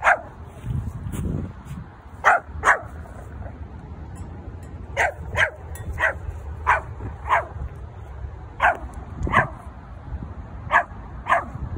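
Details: Hendo, a Pomeranian born 20 August 2021, barking in short sharp yaps, single and in quick pairs, spaced irregularly through the clip over low background rumble, while playing with a toy sheep.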